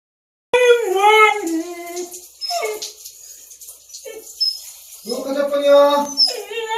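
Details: A Siberian Husky who dislikes baths, after playing in snow, howls in wavering, yodel-like complaints that rise and fall in pitch, protesting being given a bath.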